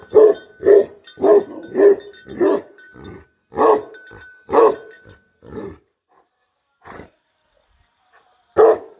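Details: Bhote Kukur guardian dog barking: rapid deep barks at first, then slowing to single spaced barks, with a final loud bark after a pause.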